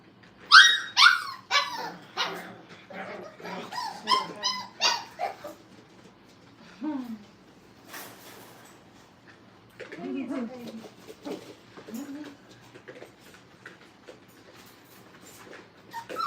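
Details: Five-week-old Brittany puppies playing at a training kennel: a burst of high whiny yips and squeals in the first five seconds, then quieter scattered whimpers and low growly grumbles with gaps between.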